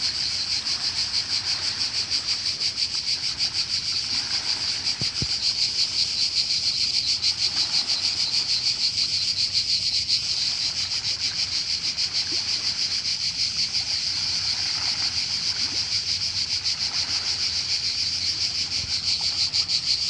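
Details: Cicadas singing in Croatia by the sea: loud unbroken high buzz with fast regular pulses, a soft low murmur of waves underneath and a brief click near the middle.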